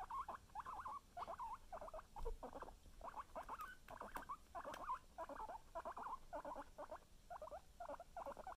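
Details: Guinea pigs, a son trying to steal his mother's cookie; a rapid run of short squeaky chirps and squeals, repeated several times a second throughout, with faint rustling.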